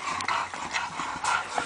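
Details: Bulldog puppy from Tyhill giving short, high, thin whimpering squeaks in a few brief bursts, separated by soft shuffling and background rustle.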